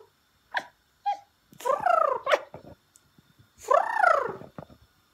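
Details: Pembroke Welsh Corgi producing two longer arching vocal calls, each climbing and then dropping in pitch, mixed with short clicks and knocks and a brief sharper yelp between them.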